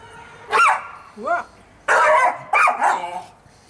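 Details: Fudge, a pet Staffordshire Bull Terrier, enjoying the sun on Mother's Day, 26 March 2017, lets out a sharp bark, a short rising yip, then two more harsh barks close together.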